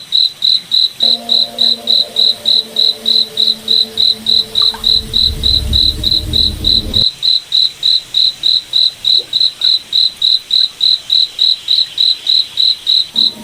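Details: Night-time cricket in a moonlit forest, giving bright high chirps at a steady rate of about three and a half per second. A low droning hum comes in for several seconds midway, with a deep rumble underneath.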